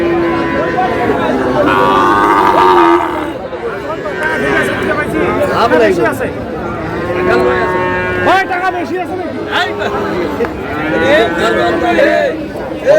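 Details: Sahiwal bull calf among cattle at a Cox's Bazar market in Bangladesh on 24 February: a long, wavering moo lasting about three seconds opens the clip, then bargaining voices and crowd chatter dominate, with further faint lowing underneath.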